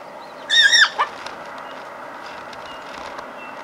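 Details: A spotted hyena cub, about one month old, in Kruger Park, South Africa, lets out one shrill, wavering squeal bending downward, then a quick falling yelp, while curious cubs play-fight and bite; low background hiss.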